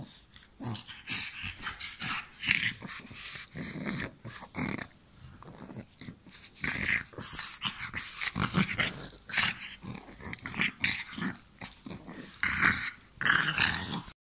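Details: During play time a pug bites and growls in choppy, raspy bursts, with dense clusters of snarling noise and huffing breaths that surge again near the end.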